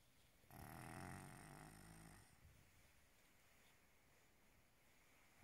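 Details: A Maine Coon cat snores like a human, a loud, rasping snore with low rumbling breath.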